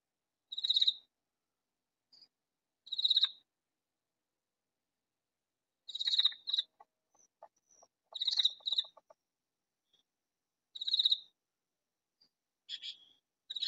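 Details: Hidden in a vegetable garden, a loud katydid gives short, buzzy, pulsed rasps, each about half a second long, spaced two to three seconds apart. A faint lower ticking sequence sounds once in the middle.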